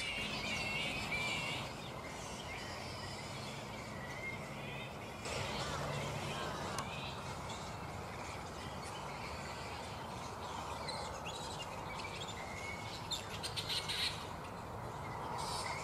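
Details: Many black flying foxes squabbling in a roost at mid-morning before settling for the day: steady scratchy chittering with bursts of sharper squeals, a brief louder rasp near the end.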